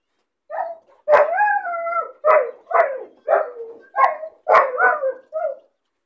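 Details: Caged puppy crying alone, lonely and bored: a run of about nine whining yelps in quick succession, several sliding downward into drawn whimpers, bark-like onsets between them.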